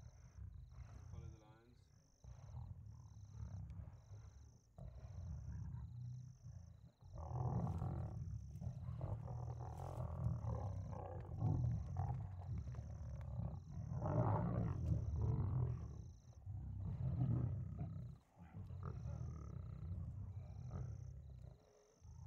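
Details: At night, two lions kill an impala trapped in mud, giving low, grinding growls in long surges with brief pauses. A short wavering harmonic cry comes early, and regular faint high beeps run throughout.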